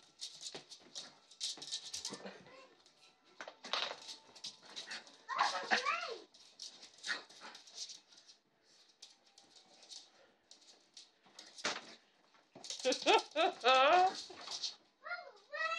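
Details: Small pet dog named Gracie Lu McNibbles attacking a giant bouncy ball indoors in a small room. Her excited high whines and yelps come in bursts, rising and falling, with rattling and thumping from the ball and a person talking between them.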